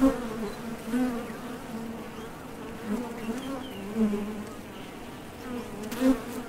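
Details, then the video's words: Honey bees at the Top Bar Hive entrance, leaving for and returning from nectar foraging; a steady low hum punctuated by brief louder swells roughly every one to two seconds as bees fly past. "HONEY BEES Sound Effect #MasonJar | BEES BUZZING"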